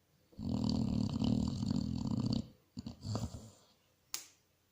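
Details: Basset Hound snoring while asleep indoors: a long, low, rumbling rattle for about two seconds, then shorter uneven breathy snorts, ending with a brief sharp click.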